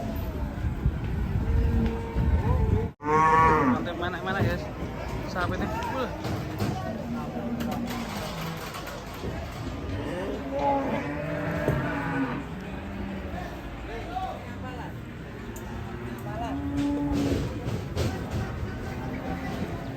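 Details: Raging cattle in a compilation: one brief, loud harmonic bellow early on, then fainter, scattered lowing calls buried in a busy mix of rumble, clatter and faint music.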